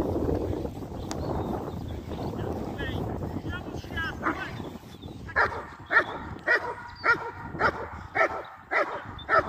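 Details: German Shepherd during IGP competition training; human speech and handling noise fill the first half, then the dog breaks into a run of regular, sharp barks roughly twice per second until the end.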